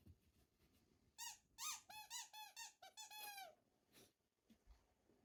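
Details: Haru, a female Shiba Inu born in 2019 living in the countryside, anxious during a sudden power cut and staying close to her family indoors: a burst of high, nasal whines, each rising then falling, about a dozen in quick uneven succession.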